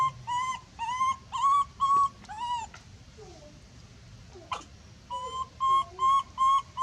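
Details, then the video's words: Loud distress screams of a monkey calling for help: a string of high, tonal wails, some bending upward then down, broken by a quieter stretch of faint chirps and a sharp click before more steady screams. "big scream so loud calling help"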